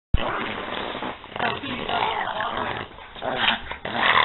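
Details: Two dogs, Peanut and Daisy, playing together: rough, continuous growling with snorting bursts throughout, rising into louder noisy rumbles near the end, with faint background voices.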